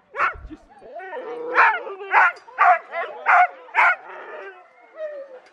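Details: Four-month-old Alaskan Malamute puppy on his first run with a sled dog team in Larose Forest, Ontario, Canada; a string of excited, yelping barks and howls, roughly two per second, with a long wavering whine at the end.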